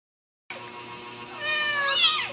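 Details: Ragdoll kitten at a home cattery in central Kansas, raised without cages, giving one short, high, thin mew that rises and then falls, after a brief silence and over a low steady hum.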